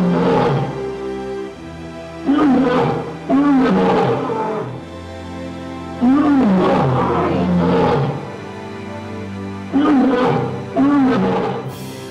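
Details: Lion giving deep roars and grunts in bursts around two, six and ten seconds, with background music playing throughout.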